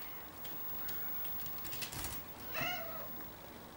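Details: Six-week-old Ocicat kitten giving a single short, clear meow with stacked overtones, about a quarter-second long, after a few soft knocks and rustles in an otherwise quiet room.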